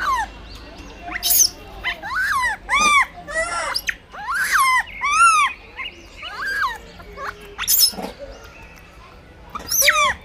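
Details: Blind baby monkey fighting for food gives shrill, arching squeals with rich overtones, roughly a dozen short cries rising then falling in pitch, spaced unevenly through the clip over a low steady hum.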